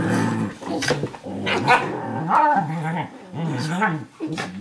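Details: Eurohound puppy about 11 weeks old and a 4.5-year-old Nova Scotia Duck Tolling Retriever wrestling playfully on a lap in a kitchen; continuous low, wavering growls rising and falling, with higher yelping tones mixed in.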